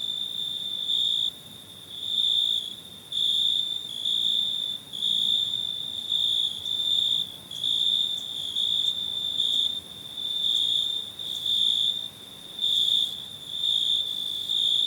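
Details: Cricket chirping in a steady, very high-pitched ringing trill, pulsing louder roughly once per second over a faint, quiet background.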